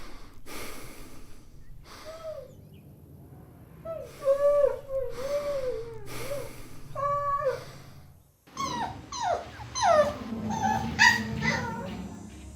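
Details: Puppies competing for toys on green grass: drawn-out, wavering whines and moans that bend up and down, building into a jumble of overlapping high squeals and whimpers over a low background rumble.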